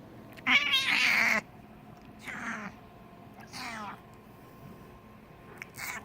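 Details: Snoring cat, rhythmic raspy breaths, a loud harsh first burst lasting nearly a second, then softer rasping snores returning about every one and a half seconds in a quiet room.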